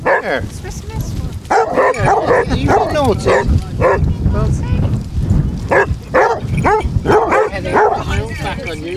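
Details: Sixteen Basset Hounds walking as a pack on Marlborough Downs, North Wiltshire, in December 2016 bay together in a dense, overlapping chorus of yowling barks and whines, mixed with people's voices throughout.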